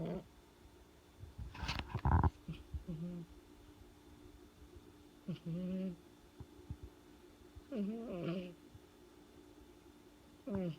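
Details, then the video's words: A domestic cat snoring, with low, harmonic, rasping breaths that come in short bursts about every two to three seconds. The room is quiet between breaths. "Cat Snore 2"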